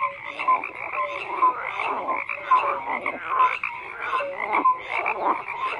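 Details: Frogs croaking in a crowded chorus, rough croaks overlapping with brief whistled notes roughly every second, continuous and busy throughout the short stretch.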